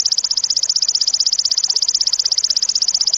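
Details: Sharp, loud cililin song, used as a training recording for competition birds: an unbroken high-pitched pulsed trill, rapid and regular throughout, with a faint background hiss.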